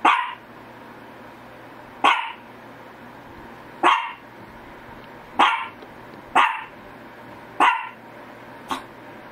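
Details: A Shih Tzu gives a steady series of seven short, sharp barks, roughly one every one to two seconds, against a quiet background hum.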